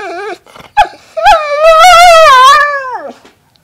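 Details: Pet dog 'telling stories' to its owner indoors: a long, loud, wavering whine with vibrato, rising and falling like talking, after two short yelps, ending in a falling moan.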